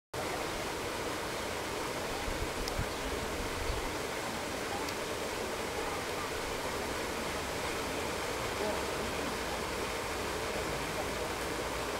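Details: Steady rushing noise like flowing water or surf fills the recording, with no animal voice.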